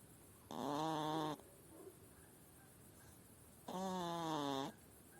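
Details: Sick female hedgehog at a farmhouse in northern Spain, later taken to a wildlife recovery centre; two nasal, harmonic, steady-pitched calls of about one second each, about three seconds apart, over quiet background.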